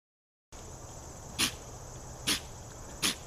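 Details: A deer named Patches sneezing, thought to have bugs up its nose, recorded 09-03-2017: three sharp, broadband snorting bursts about a second apart over a steady high insect hum.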